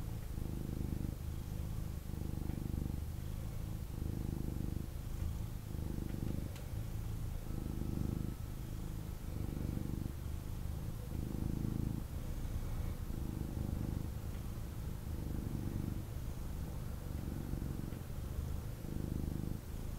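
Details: Snuggling with its owner, a male kitten purrs strongly and without pause, a deep rumbling drone that swells and dips in regular breathing cycles of about one to two seconds.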